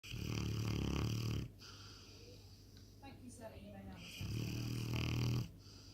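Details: Presa Canario puppy snoring very loudly: two long, deep, rasping breaths about four seconds apart, with a person talking quietly between them.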